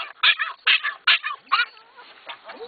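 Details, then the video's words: Two excited dogs in a car on the way to the dog park make strange noises: loud harmonic yelping bursts roughly every 0.4 seconds, then softer, thinner rising whines trailing off. "the alien dogs - making strange noises"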